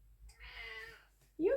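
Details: Male domestic cat indoors meowing while his owner films, one drawn-out, slightly falling meow about half a second long, followed by a woman's voice speaking to him.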